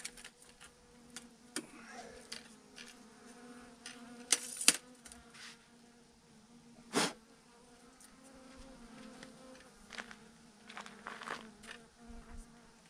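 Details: Bees by the thousands hanging on a branch in a huge clump, humming in a low, even drone across the whole stretch while scattered clicks, knocks and brief rustles sound over it.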